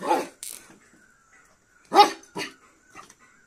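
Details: Cocker Spaniel puppy barking while fighting with a beetle, indoors: a sharp bark opening, then a loud bark and a shorter follow-up bark about half a second apart, with light scuffling and a faint hum.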